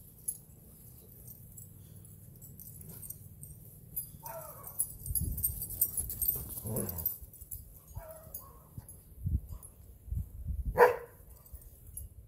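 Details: Two dogs playing in a yard on Thanksgiving Day, a full-grown goldendoodle named Mac and a four-and-a-half-month-old Saint Bernard poodle puppy named Penny: scattered short whiny yips and rough low growling bursts amid rustling and scuffling.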